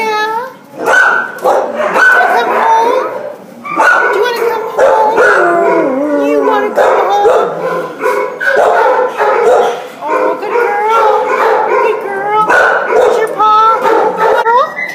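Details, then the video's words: Border Collie Husky mix wailing at the pound on December 27, 2014: long wavering, mournful howls that bend up and down in pitch, strung together with yelps and breaks, echoing in a kennel setting. "Border Collie Husky at the pound WAILING"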